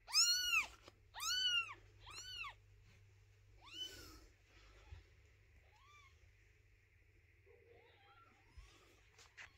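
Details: Mother cat carrying her kittens and objecting to her kittens' house being cleaned: three strong, evenly spaced arching meows, a fourth weaker one, then softer short mews and light rustling.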